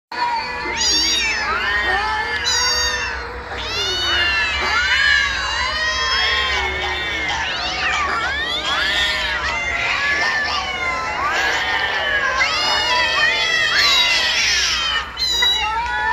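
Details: Kittens meowing on a rooftop: a dense chorus of overlapping high, wavering meows that rise and fall throughout, with steady loud background noise.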